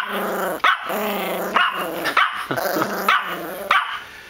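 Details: Yorkshire Terrier, a female, throwing a temper tantrum over her toys: a run of harsh growling barks with rasping harmonics, about five loud bursts in four seconds, each snapping in sharply over a rumbling growl.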